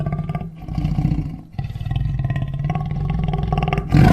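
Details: Lion (Panthera leo), roar.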